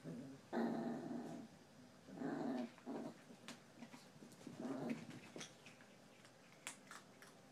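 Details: Chihuahua in a tug-of-war game, three low rasping growl bursts spaced about two seconds apart, then quiet with faint clicks and shuffling.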